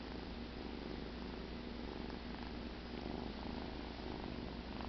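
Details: Steady, continuous low purring from Cheddar, a domestic cat asleep after the "kill", even and unbroken throughout in a quiet room.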